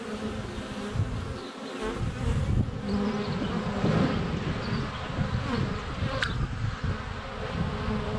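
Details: Honey bees swarming in flight at a hive entrance on a sunny February day, GoPro Hero 7 Black less than a foot away; deep, rumbling buzz rising and falling as bees pass close, with a faint thin bird note.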